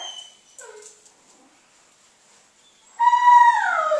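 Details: Young female Basenji during food-refusal training on the "leave it" command: a few soft short squeaks, a long pause, then a loud high whining howl, strongly harmonic, holding steady and sliding down at the end.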